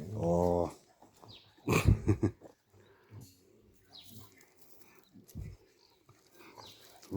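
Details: Rescued dachshund found covered in over 200 ticks, held while they are removed; a short harmonic whine opens, followed by a person's soft talk and handling noises.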